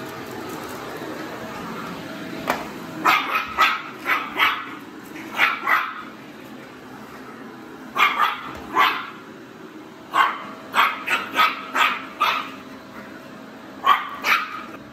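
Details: Barking from Yumi, a male pedigree Maltese pet dog that barks whenever he wants: bursts of sharp, high barks in clusters of two to four, repeated over the stretch, over a steady background hiss.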